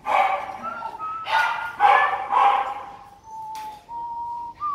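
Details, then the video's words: Dogs at a dog farm in Yên Phú, Giai Phạm, Yên Mỹ, Hưng Yên, Vietnam: four loud, rough barks in quick succession over the first two and a half seconds, then a thin, steady tone that rises slightly near the end. "Trại chó"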